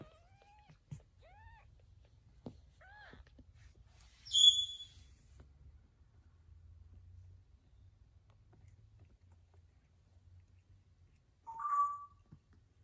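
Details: Kitten and mother cat while the mother carries her young to safety; one sharp, very high-pitched squeaking cry, then long quiet with light rustling, and a shorter, lower mew near the end.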